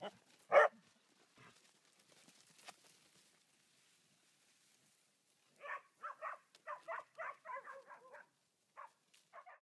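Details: Podencos at play: one loud single bark, a quiet stretch with faint rustling, then a fast cluster of short yapping barks followed by a few scattered ones.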